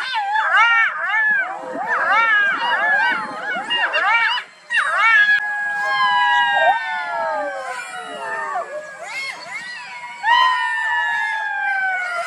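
Foxes give overlapping, quick whining yelps that turn into long, sliding, falling whines.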